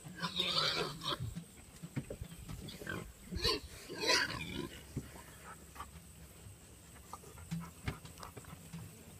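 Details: A big herd of registered Tamworth pigs with piglets converging on the feeding area when they hear their keeper coming; shrill squeals rise over a bed of low grunting, then fade to scattered grunts and snorts.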